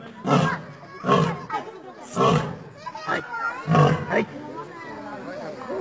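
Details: A lion (Panthera leo) gives a series of deep, throaty grunting roars, about one every second.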